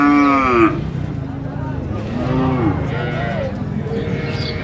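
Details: Sahiwal cow with calf at Raniganj cattle market, Dinajpur, 27 November 2025, during trading: one loud, steady, droning moo in the opening second, then men bargaining over prices amid crowd chatter.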